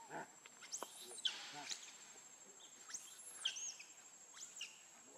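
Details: Baby monkey Lucie, very hungry for milk, crying: three high, arching squeals that rise and fall, spaced about two seconds apart over five seconds, with scattered clicks and steady background hiss.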